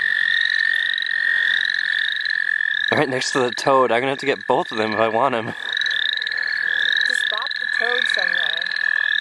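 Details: A dense frog chorus fills the St. Olaf College Natural Lands during frogging: a level, piercing trill and repeated rising chirps continue throughout, while people talk for several seconds in the middle and briefly again later.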